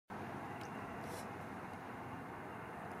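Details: Steady vehicle and road traffic rumble fills the recording outdoors, with a faint distant voice and no animal calls.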